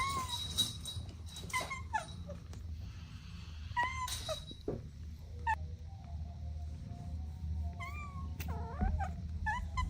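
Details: Kittens playing alongside their mother and two siblings: short, high mews come in scattered bursts, a cluster early on, one near the middle and a few bent, wavering calls toward the end, with rustling and low background hum.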